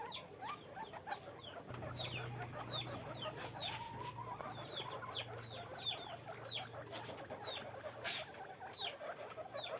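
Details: Caged guinea pigs on a farm squeak continuously, with dozens of brief high downward-sliding notes from several animals. A lower drawn-out tone rises briefly midway, and a steady low hum runs beneath.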